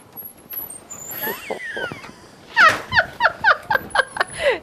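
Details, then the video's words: Maxine, a 1.5-year-old female Jack Russell Terrier, barking as people leave the house: after quieter mixed sounds, a rapid run of sharp, high yapping barks comes roughly four per second with uneven spacing. "Jack Russell JUMPS, BARKS and NIPS at People Leaving the House"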